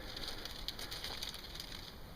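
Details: Crickets high in the mountains of Maryland, on the trail up Backbone Mountain (Hoye Crest) at about 3,360 feet: a steady, high chirping chorus with footsteps crunching underneath.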